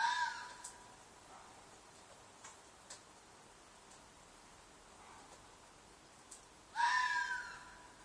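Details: At night in a field behind an apartment, a red fox gives loud mating shrieks: a hoarse, raspy scream opens the recording, then after several near-silent seconds with soft ticks a second harsh, falling shriek rings out.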